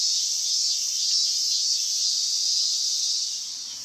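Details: End-of-summer cicadas, 19 August 2020, produce a steady shrill buzzing drone with slight wavering, fading somewhat in the final half second.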